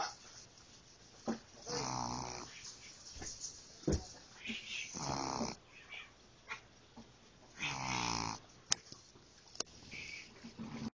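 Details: Sleeping puppy snoring in a small room, long raspy breaths with nasal whistling, several drawn-out snores a few seconds apart with short clicks between.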